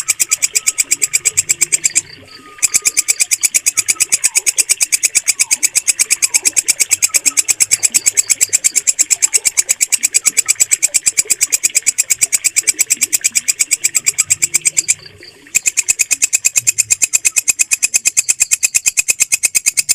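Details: Walang kecek bush cricket, whose steady voice is used to tutor pet birds. Sustained, high buzzy pulses are repeated rapidly and evenly, with two short gaps. Faint distant chirps and a low murmur run in the background.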